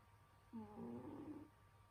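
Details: Pet cat Senyora Betsy asleep and snoring in winter, one short nasal snore lasting about a second with a buzzy tonal whine that wavers upward, steady low hum behind.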